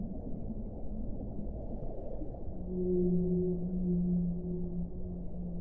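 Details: Whale moan from an hour of whale sound: a soft low murmur, then a strong, steady low tone with a fainter higher partner begins about halfway through and is held to the end.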